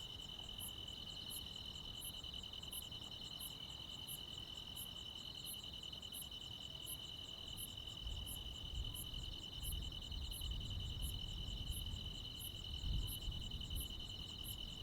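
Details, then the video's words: Midsummer night chorus of crickets and insects in rural Korea, an unbroken shrill trill layered with rapid high pulsed chirps about twice a second, with soft low background rumble swelling in the second half. "시골 야간 귀뚜라미, 벌레 소리"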